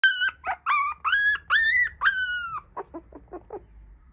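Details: Black Shiba Inu puppy, one of three sister pups from mame-shiba parents: high, clear whining yelps that bend downward, several drawn-out cries followed by a string of short, softer squeaks.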